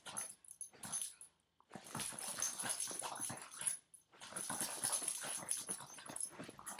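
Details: A nine-year-old Boston Terrier snorts and growls in rough, breathy bursts while playfully refusing to let go of its owner's foot.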